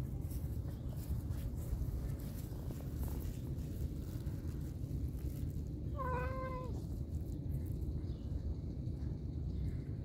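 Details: Cat at feeding time with canned chicken food gives a single short harmonic meow near the middle of the recording, otherwise quiet apart from constant low-frequency background rumble and faint rustling.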